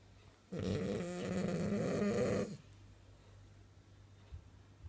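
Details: A French bulldog snoring while asleep and dreaming: one rasping, buzzy snore lasting about two seconds, with a low rumble and harmonics, then a quiet room with faint hum.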